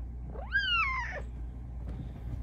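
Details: Vocal female Bengal cat asking for what she wants during a nighttime chat: one loud meow climbing steeply, then bending down and breaking off, followed by faint indoor rustling.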